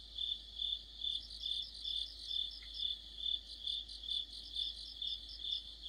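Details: Crickets and other insects in an autumn chorus by a streetlight, a steady high band of pulsed chirping, overlapping callers throbbing about twice a second with faint higher trills above.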